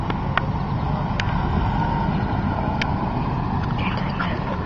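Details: Steady broadband rumble like passing traffic, with a few sharp clicks and faint voices, during a visit by a Basset Hound; no barking, whining or other animal calls.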